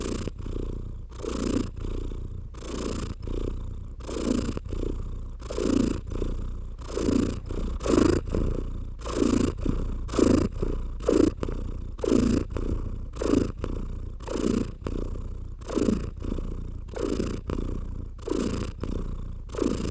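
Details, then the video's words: Steady low purring from a domestic cat being stroked, a continuous deep rumble beneath soft rhythmic brushing strokes that come roughly every second, some louder and closer together, for twenty seconds. "Cat Therapy 4Hrs of Stroking & Purring"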